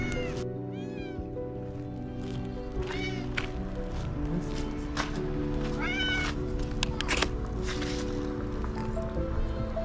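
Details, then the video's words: A stray tiger cat calls out to a person from where it sits, hoping for food; a few drawn-out, downward-bending meows and a harsher wail stand out against prominent background music. "Stray Tiger cat calls to me without leaving his place."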